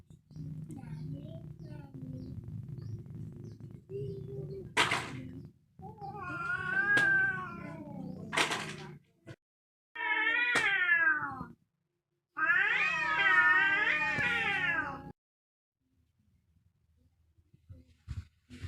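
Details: Fierce cats fighting: a low steady hum opens, then loud strained yowls with sharp onsets, a descending wail, and a long wavering, rising-and-falling caterwaul near the end before quiet.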